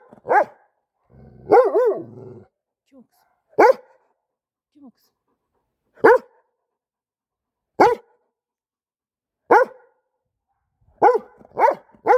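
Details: Kangal shepherd dog barking while the mother Şila protects her daughter from Cesur: single sharp barks roughly every one and a half to two seconds, a tight cluster near the end, and a brief stretch of low voice early on.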